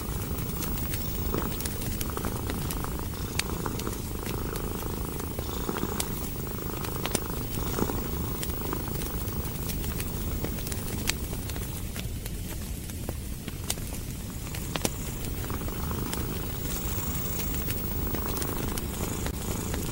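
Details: A domestic cat curled up by a fireplace, contented, purring in a steady low rumble that continues unbroken through the clip, with the crackle and sharp pops of burning logs scattered over it.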